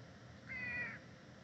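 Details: A cat gives a single short, level meow of about half a second against a quiet low background hum.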